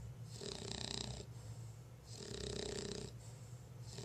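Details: Sleepy bulldog Lola snores in a small room, with two drawn-out raspy breaths, one rising and the other falling, and a soft low hum running under both.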